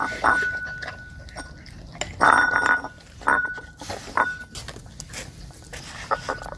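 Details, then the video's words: Dog eating offal it had never tasted, shunning porridge: separate moist chomps and slurps roughly every second, the heaviest near two seconds, over a quiet constant high hum. "dog eating offal | Eating Sounds"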